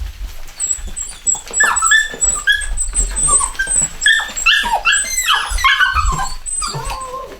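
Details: A new home-bred litter of chocolate Cockapoo puppies, a Cocker Spaniel and Poodle cross, indoors; many overlapping high squeaky whimpers and yelps sliding up and down, near continuous, several puppies calling at once.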